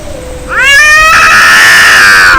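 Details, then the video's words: Angry cats fighting: a low drawn-out growl swells abruptly into a loud, harmonically rich rising yowl that holds steady and then falls away. "Angry Cat Fight Cats Sound Effect Real fight Of cats Audio"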